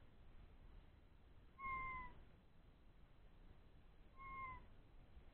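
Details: Two clear, level-then-falling whimpers about two and a half seconds apart from three-week-old Old English Sheepdog puppies having a good time after a meal, over low background hiss.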